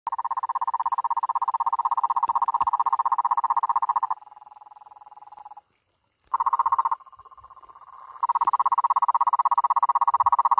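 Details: Cururu toad calling: a steady, rapid, pulsed low trill that runs loud for about four seconds, drops to a softer trill, stops briefly, then returns and swells again to full strength, with faint higher chirps in the background.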